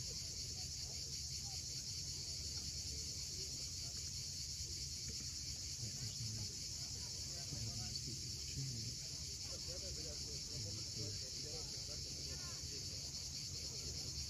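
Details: Sunset on Crimea's steep shoreline at Cape Fiolent, where cicadas keep up a constant sizzling high-pitched drone; low surf rolls underneath and scattered soft bird chirps come through faintly.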